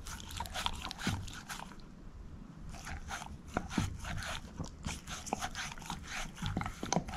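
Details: Moose, a female shepherd mix dog, gnawing a bone; dense run of small crisp clicks and scrapes, with a brief quieter pause near the middle and no voices.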